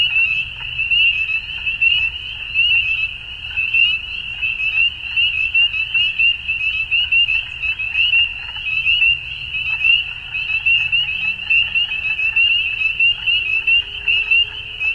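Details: Many frogs at dusk calling together, a continuous shrill trilled chorus with rhythmic surges roughly once a second and quieter lower croaks now and then beneath.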